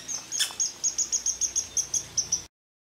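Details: Backyard red squirrel, an ill-tempered regular at the food: a steady string of about a dozen high, thin squeaks, evenly spaced roughly five a second, with one louder click near the start before sudden silence.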